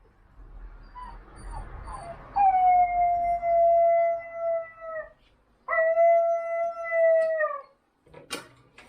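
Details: Labrador Retriever howling: two long, steady, tonal howls with clear harmonics, each held about two to three seconds and dipping slightly at the end, after softer rising whines and faint background noise.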